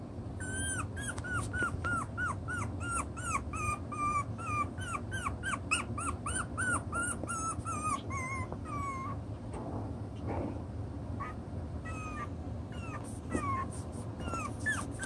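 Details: Chocolate brown Toy Poodle puppies, six weeks old, playing with their toys while working out the pecking order; a rapid series of high, arching whimpers and yips, closely repeated for nine seconds, then scattered squeaks over a steady low rumble.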